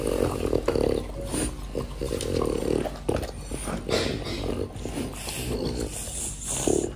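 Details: French Bulldog eating an apple: continuous wet chewing and crunching with throaty, growly snuffles in bursts throughout, louder clusters near the start and the end.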